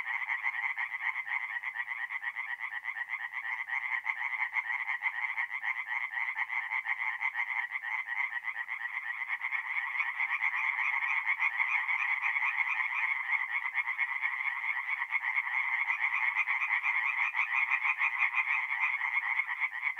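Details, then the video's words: Twenty seconds of a tree frog chorus at night beside a forest pond in north-east Italy, mid-April: an unbroken wall of rapid, grating croaks from many frogs, gradually growing louder. "relaxing forest pond by night with singing tree frogs"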